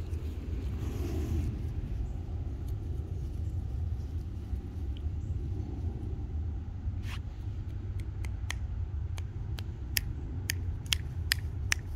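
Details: Low rumbling room noise with scattered sharp clicks and taps, and no animal voice.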